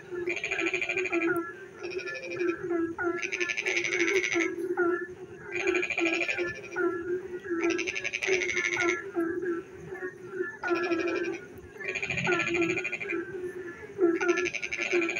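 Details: Frogs singing at night as rain falls: a droning chorus with a steady hum, clusters of short rising calls, and repeated bursts of rapid rattling croaks roughly every two seconds.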